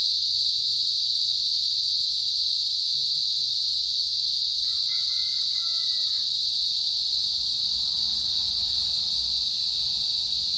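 Cicadas make a steady, high-pitched buzzing drone that runs unbroken from start to finish.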